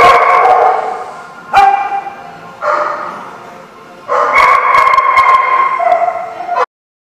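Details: Group of dogs on December 21, 2015, with a continuous din of strained, whining barks and yelps, rising into a sustained, dense burst in the last few seconds before cutting off.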